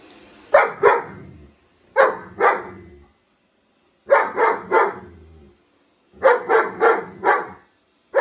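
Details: German Shepherd barking at a robot vacuum cleaner: deep loud barks in quick pairs and triplets, groups spaced by about two seconds of quiet.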